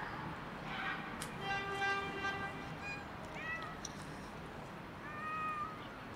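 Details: Cat stuck up on a roof, meowing to ask for help getting down: one long, steady, strongly harmonic meow, then three or four shorter arched meows that rise and fall, over a constant low background hum.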